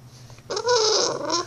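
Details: Vera, a talkative bulldog puppy indoors, answering her owner with a drawn-out, tonal, wavering whine-howl lasting about a second, rich in harmonics and held at a steady pitch.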